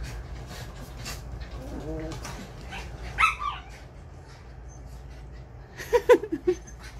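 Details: Schnauzers visiting for a playful overnight stay; brief high-pitched whimpers and yips break out around the third second and again near the sixth, rising then falling, over a steady low indoor hum with faint background voices.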